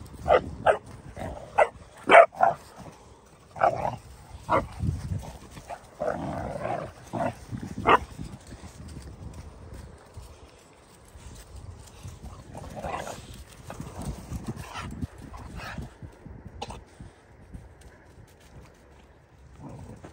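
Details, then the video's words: Two three-month-old Dogo Argentino puppies tussling to establish which is more dominant; short sharp yaps and growly barks in bursts during the first eight seconds, then quieter rustling scuffles with occasional louder yelps. "3 months Dogo Argentino puppies establishing who’s more dominant."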